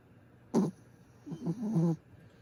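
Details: A pet dog named Griff snores while sleeping: one short, sharp snort, then a longer rough, grumbling rattle of low throaty pulses, all over a faint steady background hum.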